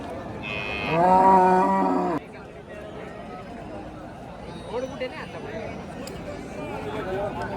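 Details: Hallikar cattle at a cattle market in T. Narasipura on 10 August 2026: one loud, deep, harmonic moo lasting just over a second and dropping off abruptly, followed by murmuring voices and general market bustle.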